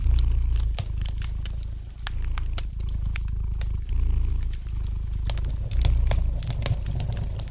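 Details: Soft rumbling purr of a domestic cat, roughly four beats a second in gently swelling phrases, mixed with the light crackling and popping of a fire in the fireplace.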